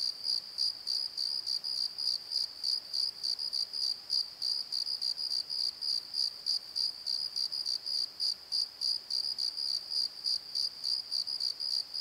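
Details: High-pitched cricket chirps at night in a Pozo valley bottom, a rapid steady pulse of about three bursts per second continuing throughout, with a thin upper overtone and no other clear sounds.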